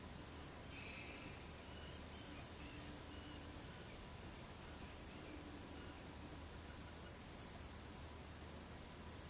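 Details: An upland green bush-cricket (Tettigonia cantans) sings long, very high, buzzy trills broken by brief pauses in Savonlinna, Finland, on the afternoon of 4 August 2013 at 15:20.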